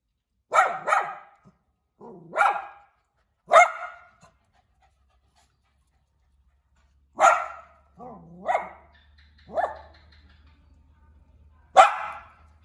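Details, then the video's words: Little dog barking indoors in short bursts of one or two clipped yaps, with softer low huffing, whine-like sounds between some barks and a faint hum near the end. "หมาเห่าหมาน้อยน่ารัก เห่าอยู่ในบ้าน"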